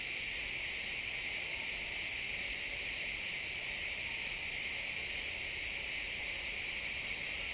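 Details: Crickets chirping in a pine forest at sunset, a dense, steady high-pitched shimmering chorus with no breaks, multiple insects blending into one continuous band; no other animals or voices heard, recorded in realtime XY stereo.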